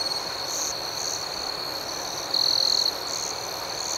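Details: Night cricket chorus: a high steady trill with rhythmic chirps pulsing about four times a second, and a louder half-second swell of the trill midway.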